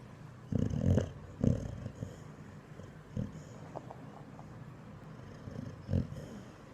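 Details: Boxer dog asleep, dreaming and snoring: breathy, snorting bursts at irregular intervals, a quick double snort first, then single huffs a few seconds apart.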